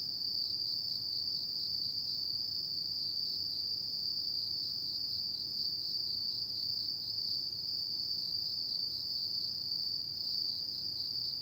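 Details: Autumn night insects keep up an endless piercing trill, one sustained high note shimmering with rapid pulses, level and unchanging from start to finish over a faint low hum.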